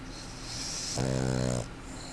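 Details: A puggle named Dewey asleep and snoring loud; a soft inhale gives way to a short, vibrating nasal snore with a rich buzzy tone, then quiet.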